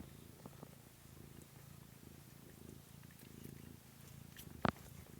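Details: Low continuous purring from kittens on 13 March 2017, pulsing gently and evenly throughout, interrupted near the end by a single sharp click or knock.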